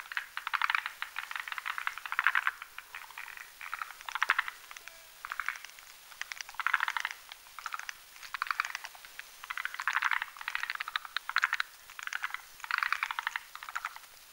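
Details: Forest green tree frogs, males and females, croaking at night on a Hamilton's spindletree branch over a marshy mountain pond while mating in a foam nest; dense rattling pulse trains in overlapping bursts roughly every second.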